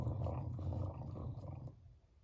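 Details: Teo the beagle growls over an ice cream treat, gentle except when food is teased; a deep, sustained rumble lasts about 1.7 seconds, then fades, with cicadas droning faintly in the background.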